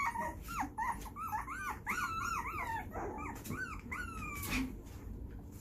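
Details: Puppies 2.5 weeks old at play, making noise and mouthing each other's faces; a run of high, wavering whines and whimpers rising and falling, with a few short squeaks and scuffling underneath.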